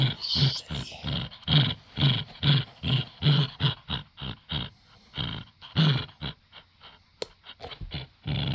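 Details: Playful tug-of-war growling from a male Dachshund reluctant to give up his toy. Rhythmic rumbling pulses, about two per second, deep and rasping, fading slightly toward the end.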